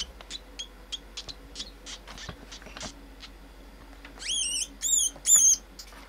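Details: Pink rat pup, a pinky, being fed live to a pet pacman frog, screaming: a run of short high squeaks, then three loud rising-and-falling shrieks near the end, over a faint steady hum.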